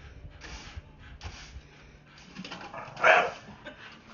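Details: A blue Staffy named Jinx barks at a broom that frightens her: a few muffled breathy noises, then one abrupt, loud bark rising out of quiet room hum, trailing into short low sounds.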